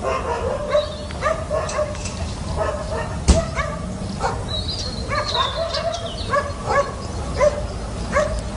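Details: Young dog climbing a fence, producing a steady run of short, high-pitched yips about every half second, with bird whistles and one loud knock partway through.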